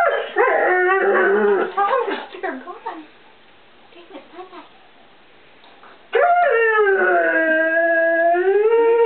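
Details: Ozzy, a one-year-old English Setter puppy in a kitchen, calls out for stored treats: wavering yodel-like howls for about three seconds, soft quiet whines, then a loud sustained howl holding steady for the last three seconds.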